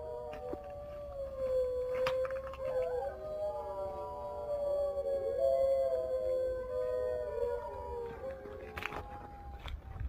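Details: In Iqaluit, Nunavut, Canada, a chorus of sled dogs howls in sustained, wavering, overlapping notes that slide slightly in pitch, rising and falling together, with a few sharper yelps near the end.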